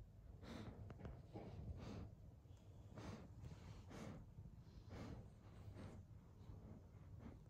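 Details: Evo the German Shepherd drifting off to sleep, with breathy, hissing snorts about once per second, each a soft noisy exhale, and a low hum underneath.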